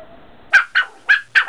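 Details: Coyote (Canis latrans), barks.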